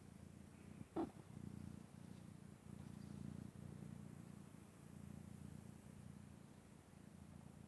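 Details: Asleep and snoring hard, the house cat Vaska gives a continuous low rumbling drone with slow swells of breath. A single sharp click cuts in near the start of an otherwise quiet indoor scene.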